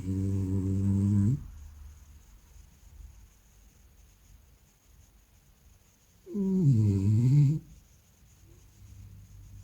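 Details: Sleeping French Bulldog snoring: a low, buzzy rasping breath at the start and another about five seconds later, with quiet breathing in between, indoors.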